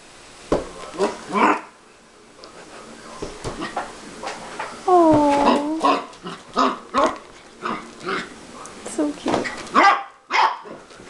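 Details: A Siberian Husky puppy gives short yips and a drawn-out, wavering whine during play with a person, with human voices nearby.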